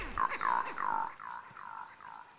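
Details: Diana monkey group heard across a valley in the Tai Forest giving leopard alarm calls, said to be uncommon; a series of six arched, descending hoarse calls roughly every 0.4 seconds, the later ones fainter.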